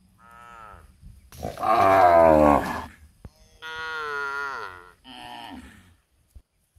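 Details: Cows suckling in a palm oil plantation; several lowing calls: a brief higher moo, a loud rough bellow, then two thinner, higher-pitched moos that waver and fall.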